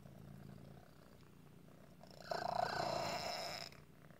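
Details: Otis the cat, troubled at times by asthma-like breathing from a deformity, gives a soft rumbling purr, then a louder, raspy wheezing breath with a squeaky tone lasting over a second.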